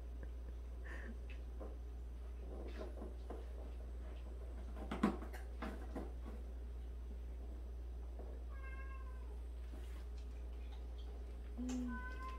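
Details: Domestic cat in a household of 76 rescued stray and abandoned cats, one cat known for washing the others' faces daily; scattered clicks and bumps, then two short harmonic meows near the end over a steady low indoor hum.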